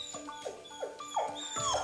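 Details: A Jindo dog with separation anxiety, alone at home after its expecting owners leave, howls in quick, high, falling whimpers, each a thin whine sliding downward, wanting to follow them, over soft background music.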